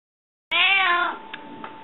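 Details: Hungry pet cat Rika meowing indoors for food: one long, loud, harmonic meow that rises slightly and then falls, trailing off into quiet room tone with a steady faint hum.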